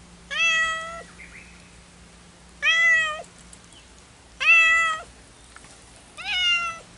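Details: Two cats keep calling to each other yet cannot be together: four loud, clear meows, each rising then slightly falling, spaced about every two seconds over a faint low hum.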